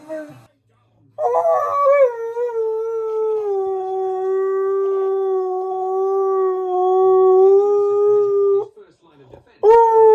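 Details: Pet husky singing indoors: a long, steady howl held for about seven seconds with a slight wavering pitch, ending abruptly, then a second howl begins; brief speech and faint music before it.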